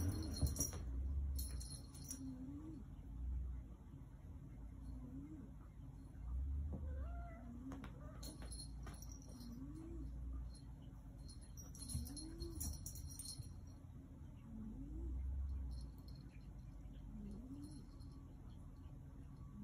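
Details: Yoda, a black Maine Coon cat, talking: short low arched chirping murmurs rising then falling, repeated every two to three seconds, with a brief higher sweep near the middle and faint jingling and low hum behind.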